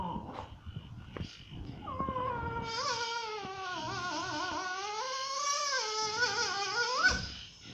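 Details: Dog complaining at a Phuket dog resort, giving one long moaning whine that rises and wavers for about five seconds in a small room, with soft knocks before it.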